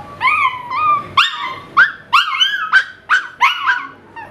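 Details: Male Miniature Pinscher responding to a car alarm with howls: a sustained wavering note, then six or seven clipped, rising-falling yelps about every half second, clear and close.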